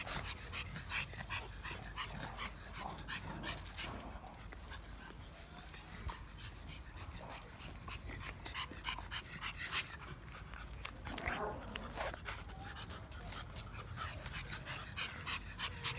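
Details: Boston Terrier puppies pant, snuffle and give faint, thin whimpers in quick, irregular bursts.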